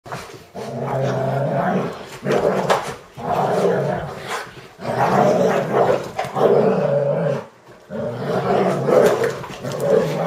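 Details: Two German Shorthaired Pointers blanket-wrestling early on a Saturday morning, giving deep, rumbling play growls in long, continuous bursts with short pauses between them, plus rustling from the blanket.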